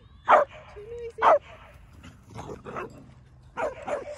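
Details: Several dogs playing together in a school playground in Vancouver in autumn, leaves changing colour: two sharp, separate barks, then a looser cluster of rougher barks and yips after a short pause, with faint background noise.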